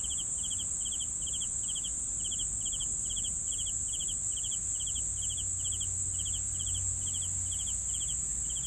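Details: Rapid, regular cricket chirps, each a tight cluster of three pulses, about four per second, layered over a sustained high, thin insect drone.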